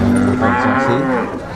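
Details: Cattle lowing at a Ponorogo livestock market before Eid al-Adha, 5 August 2018. A single strong, deep moo runs almost the full length, with faint human voices in the background.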